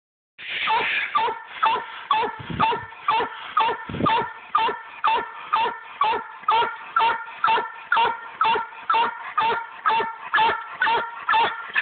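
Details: A Black and Tan Coonhound named Dixie, a hard tree dog, gives a steady treeing bark, a ringing chop repeated about twice a second; Black and Tan Coonhound.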